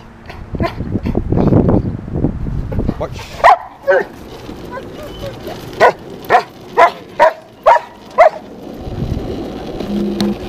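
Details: Uso, a three-year-old Cane Corso, barks on command during an obedience training session, filmed on a GoPro Hero 3+ with no external mic. A person talks first, then a run of about seven short, sharp barks comes at a brisk, fairly even pace.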